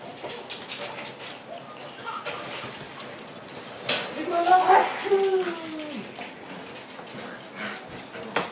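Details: Shiba Inu puppies in a kennel room at night: one drawn-out, descending whining cry with stacked harmonics rises out of the room noise for about two seconds. Soft clattering, shuffling and a brief voice surround it.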